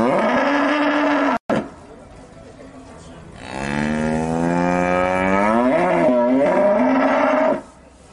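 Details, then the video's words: Cows, from a set of different cattle breeds: a long, loud, low moo with rich stacked harmonics, swelling and wavering over about four seconds, preceded by a shorter steady lowing tone and a brief break. "Cows different breeds with sound"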